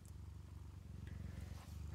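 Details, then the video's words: Purring of a foster mama cat nursing five kittens in a cabinet, a continuous deep rhythmic rumble that swells slightly toward the end, with a couple of faint higher ticks. "Is this cabinet purring?"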